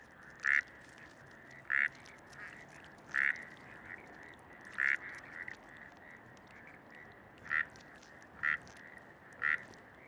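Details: Breeding-season frog in Bogotá, Colombia, croaking early in the day to attract a mate: loud, short, punchy calls repeated about every one to two seconds, seven in all, standing out over a softer background chorus of similar notes.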